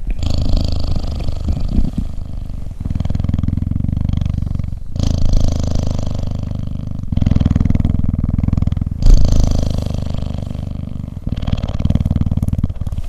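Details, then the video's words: Cheetah purring while cuddling: a deep, continuous rumbling purr in long alternating phases of about two seconds each, breathing in and out, with short breaks between phases. "Cheetah Cuddling & Purring"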